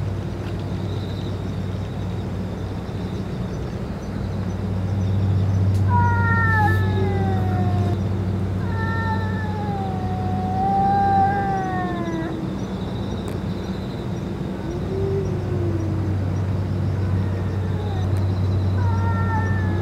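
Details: Stray boss cat, after eating food and medicine, gives a run of drawn-out meows from about six to twelve seconds, some falling and some wavering, with a softer meow near fifteen seconds and another at the end, over a steady low engine-like hum.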